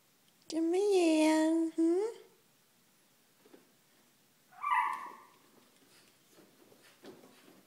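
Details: Male Miniature Schnauzer, about one year old, indoors, startled by a box that had held a hotpot and pushing at it with his nose: a loud, drawn-out tonal whine lasting over a second, a short second whine, then a brief higher squeak and quiet room noise.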